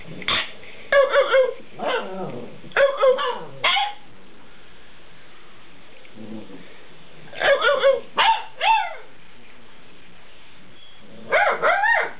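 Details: Alaskan Malamute puppies at eight weeks old chattering back: quick clusters of short yelps and woo-like barks in three bursts separated by pauses of a few seconds, indoors.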